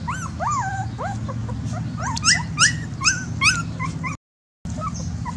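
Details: Dogs whimpering: a string of high, thin whines that rise and fall, some overlapping as though from more than one animal, coming in quick succession over a constant low rumble.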